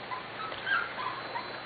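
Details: Corgi puppies almost six weeks old from the Sugar and Charlie litter, out in their play yard for the first time on a warm day; soft high whimpers and yips rise and fall among faint outdoor background noise.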